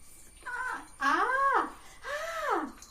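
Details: Pet puppy indoors in the morning, around feeding and play time: three drawn-out, tonal whining yelps, each rising then falling in pitch, the last sliding down longest, in a small quiet room.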